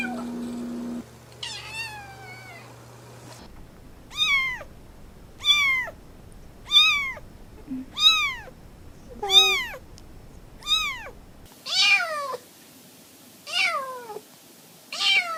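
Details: Kitten mewing repeatedly: about ten high, clear, downward-sliding meows, each short and evenly spaced roughly every one and a half seconds, after a brief low tone at the start.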